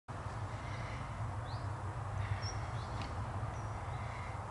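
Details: A bumblebee on hemp-agrimony (leverkruid) gives a low, steady droning buzz, with a few faint high chirps far behind.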